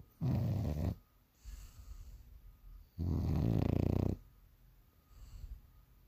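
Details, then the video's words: Sleeping bulldog's morning snore: two loud, rough, rattling snores of about half a second and a second, each followed by a softer breathy exhale, deep and low-pitched in a quiet room. "Snoring away"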